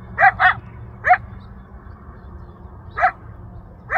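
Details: A wild male coyote in the Rancho Sierra Vista open space, Newbury Park, Ventura County, audible from a mile away, yelps for his family and friends. Five short, sharp yelps sweep upward, the first two close together, over a low rumble of background noise.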